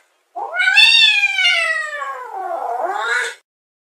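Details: Single long plaintive meow from a fluffy cat watching intently through a window with curious perked ears; the cry starts high and strong, slowly sinks, then wavers and rises again at the end, about three seconds long.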